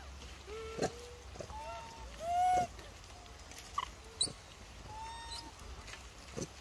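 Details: Macaque calls linked to an injured baby monkey with no mother to protect him, bullied by others: a series of clear tonal coos, some rising and falling, scattered across a few seconds, with faint rustling and background hiss.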